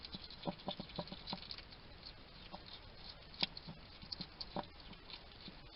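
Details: Wild hedgehog at a garden feeding station in Somerset, UK, a little male chatting to himself while he eats: quick clicky chewing and wet smacking in irregular bursts, several per second at times, over a low steady hiss.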